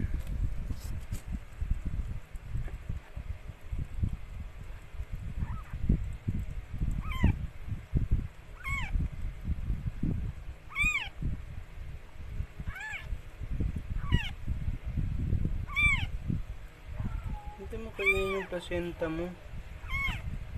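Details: Rescued stray Mikey giving birth to four kittens: after quiet opening seconds, a string of about nine soft, arching mews recurs every second or two, with a brief lower voice late on and constant low rumble.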